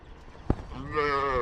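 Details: Cattle being bathed: a sharp knock, then a loud, steady, harmonic moo-like call starting low and holding an even pitch for most of a second before cutting off.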